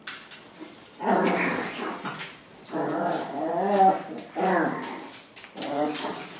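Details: Eight-week-old Golddust Yorkshire Terrier puppies give high, wavering whines and yips in short bursts.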